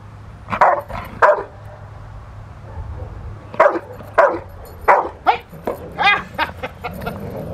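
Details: A young female Rottweiler, 13 months old, barks during protection training on April 10, 2021, in preparation for ZTP and IGP1. Sharp barks come singly and in quick runs, with a steady low hum underneath.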